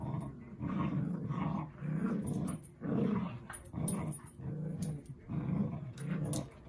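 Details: Two pet dogs playing together indoors, one growling in low, rumbling bursts that come in a rough rhythm of about one per second, with brief quiet gaps between and faint clicks of movement.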